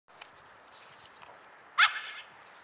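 A Basenji puppy gives one short, sharp yelp against a steady background hiss.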